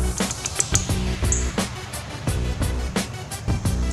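Beat-driven music with heavy bass and regular percussive hits plays throughout, with no animal calls audible.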